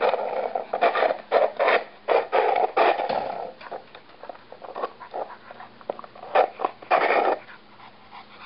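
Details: A small dog indoors working to move a frisbee to where he can pick it up, panting in quick rough bursts about four a second, pausing now and then, with faint background hum.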